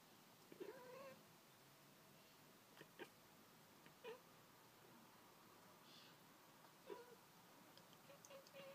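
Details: Domestic cat indoors chattering at birds outside, giving short, sharp, clicking bursts with a few brief rising chirps spread across several seconds over a quiet room hum.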